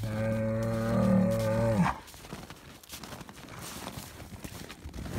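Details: Bull of the Highland cattle breed at a Finnish farm, given bread, lets out one strong, steady moo lasting under two seconds, ending with an upward flick, then quiet shuffling.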